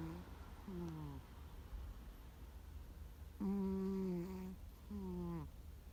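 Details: Snoring house cat Gomataro, loud in sleep like a middle-aged man's 'guu guu': two softer falling snores followed by two stronger, buzzy, harmonic-rich ones, each under a second and a half, over a low indoor hum.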